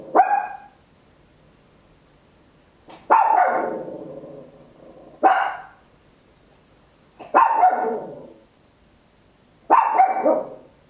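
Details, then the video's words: A tiny Papillon barks at home in loud, sharp bursts, each trailing off quickly, spaced a couple of seconds apart. "Tiny Dog Barking Very Loud, Papillon 10 Hours"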